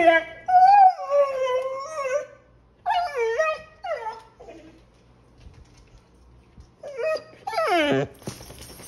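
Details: Australian Shepherd Collie mix dog recognising his father on a computer monitor and whining: long wavering high whines, a drawn-out howl-like note first, then shorter sliding whimpers and a final rising cry.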